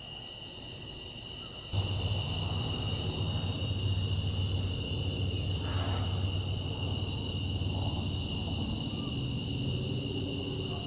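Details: Cicadas at night make a continuous, unbroken high-pitched drone in several steady layered bands, with a low hum underneath and no breaks or rhythm changes.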